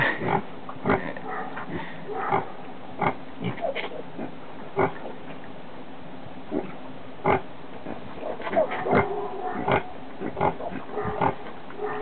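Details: Guinea Hog sow giving birth to her second litter of piglets, recorded July 11, 2012: short, low, rough grunts repeated irregularly every second or so, with some louder sharper bursts and tonal overtones.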